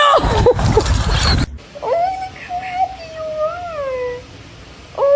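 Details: Kitten in a funny-cats compilation gives several thin, drawn-out mews, some sliding up and down, after a burst of human speech at the start. A short new mew begins at the very end.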